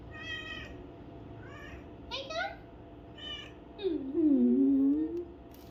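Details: Pet cat among four getting ear cleaning, producing short high meows early on, then a longer low meow that dips and rises, while human speech is heard alongside in a quiet indoor room.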